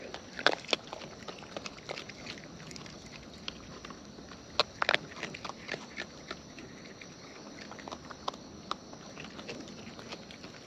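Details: Wild raccoons munching at close range; sharp crisp crunches early and mid-way, then softer intermittent chewing clicks against a quiet natural background.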